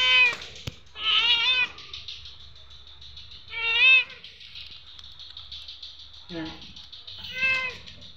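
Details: A neighbour's cat, hungry and being fed, gives loud wavering meows, some bending upward at the end, spaced a second or two apart, with a short sharp click and quieter noises in the gaps.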